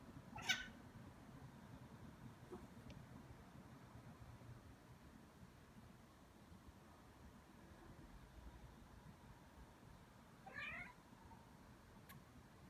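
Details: Ragdoll cat Aki, roughly two years old, toying with a bug indoors; two brief meows, one at the start and another near ten seconds, separated by quiet room hum and faint clicks.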